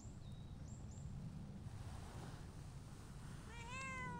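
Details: Stray cats, a tortoiseshell and a shy brown tabby, seek affection outdoors; one short, rising, tonal meow comes near the end over a steady low rumble, with thin high bird whistles earlier.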